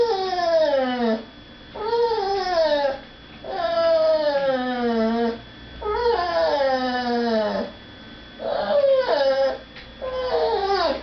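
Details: Pet dog indoors crying to go beg at the dinner table while people eat in another room; five loud drawn-out howling whines, each sweeping downward from a high start, with brief gaps between.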